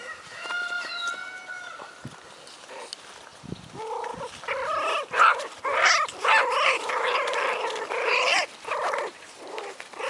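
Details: Four-week-old American Hairless Terrier puppies from the litter of Rainy and Rudy: thin, high whines with clear harmonics open the clip, then a busy run of squealing yelps, several close together, over soft rustling.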